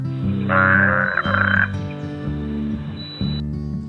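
A spadefoot toad gives a nasal, bleating croak of about a second, broken briefly in the middle, over steady background music.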